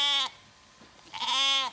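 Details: Zwartbles lamb, a surprise late lamb on an Irish farm in County Kilkenny, not recognising its mother after her shearing; two bright, high bleats, the second slightly rising and wavering, separated by nearly a second of quiet.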